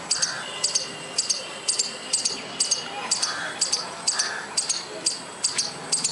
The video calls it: squirrel making noise without any reason